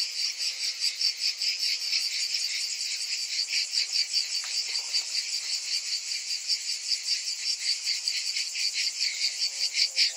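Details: Summer cicadas fill the air with a continuous high, hissing drone that swells and fades in quick regular pulses, about two or three per second, throughout.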